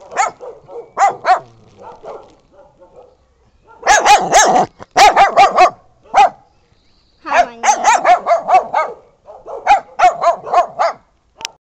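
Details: Brown dog and a Bolognese barking together in dense, loud volleys of rapid barks, with brief quieter gaps and a low whine between bursts.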